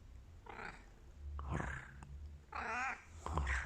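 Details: A Bengal cat, just after a nap, gives a few short, chirpy meows, one drawn out with a wavering, trilling quality.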